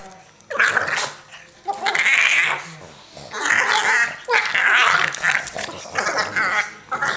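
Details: Two Boston Terriers play "bitey face", play-fighting with bursts of rough, snarly growls and yips that rise and fall.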